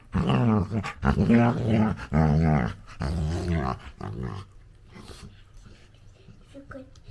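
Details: Labrador Retriever puppy, a female, making funny noises while playing with her owner indoors: a run of loud, harmonic growl-whine vocalisations in bursts for about four seconds, then quieter rustling.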